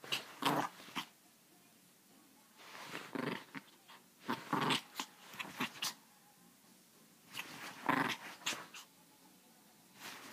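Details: Chihuahua growling in harsh, rasping bursts of about a second each, grouped in clusters with short pauses between, the loudest burst near the end.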